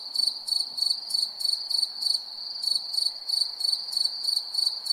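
A cricket chirps steadily at night, short high trilled pulses repeating about three times a second.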